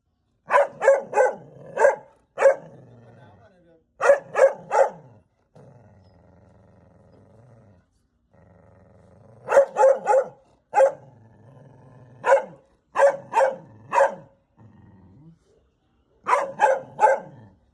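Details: Angry mother dog barking at a stranger who has come to the house, rapid bursts of three or four loud, sharp barks separated by quiet gaps, echoing through the house, with a low rumbling hum between volleys.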